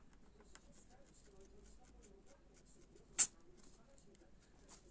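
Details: Guinea pig sneezing: one sharp, hissy burst a little past three seconds, standing out against a quiet indoor background with faint soft ticks and scratches.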